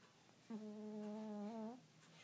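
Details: Earl, a pet cat, snoring in his sleep: a single steady, low humming snore lasting just over a second, rich and buzzy with a slight upward lift at its end, set in a quiet indoor room.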